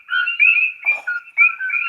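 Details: Tiny coqui frogs, native to Puerto Rico, chorus at night in the Hawaiian jungle, overlapping high whistled chirps forming a steady two-pitched ringing, often mistaken for birds or crickets.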